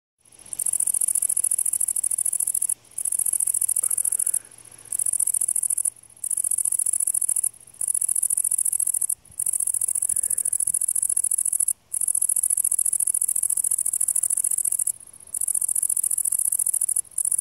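A grasshopper gives a high, dry, continuous buzzing trill in long bursts broken by brief pauses.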